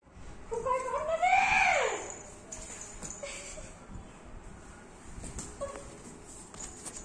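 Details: Max, a pet Golden Retriever, during his routine of morning play indoors: one drawn-out whining cry that climbs, then bends down over about a second and a half, followed by quieter room noise and faint rustling.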